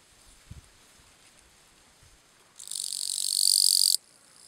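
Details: Gampsocleis schelkovnikovae bush-cricket singing its calling song at Letea, Romania, 11–12 September 2012: faint low knocks, then a single intense high-pitched buzzing burst of roughly 1.4 seconds that grows louder before stopping abruptly.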